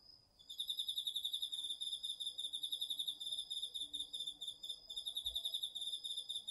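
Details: Cricket and other insects in an autumn garden field at night, DR-40X recording: a steady high whine opens, then a rapid pulsing chirp starts after half a second and runs on without a break, rhythmic and shimmering.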